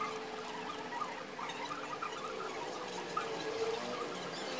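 A Mongolian gerbil gnaws, making a soft, rapid scratchy patter of tiny clicks and rasps.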